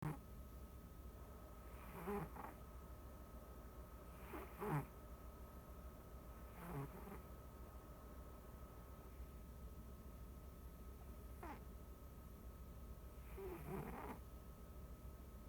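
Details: Pet house cat snoring while asleep, recorded unedited: soft, breathy, low buzzy rasps come in paired inhale-exhale bursts at uneven gaps of two to five seconds over a steady faint electrical hum in a quiet room.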